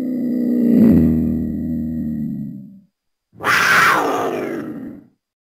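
A black panther gives a low, rumbling growl, then a harsher, breathy snarl.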